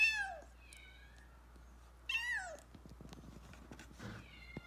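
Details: Kitten rescued after almost being run over by a car, crying indoors: loud high meows that rise then fall, two main cries about two seconds apart with a fainter one at the end, over low room hum and small knocks.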